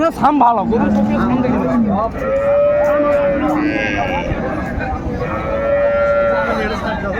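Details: Cows with calves at Raniganj haat cattle market, Dinajpur, on 30 May 2024. Several drawn-out, steady mooing calls overlap, one lower and wavering, others higher and held, over constant crowd chatter and market bustle.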